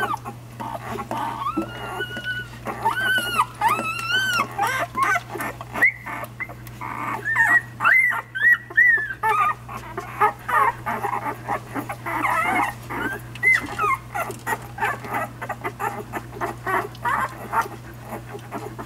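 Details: Nursing puppies one week old give a chorus of thin squeaky whimpers and brief whines, with rustling and suckling noises under a constant low hum.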